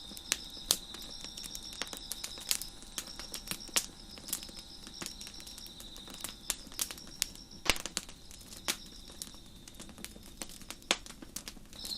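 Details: Background crickets by a deck fire: a faint but constant high-pitched trilling band persists while dense crackles and sharp pops from the flames dominate the foreground.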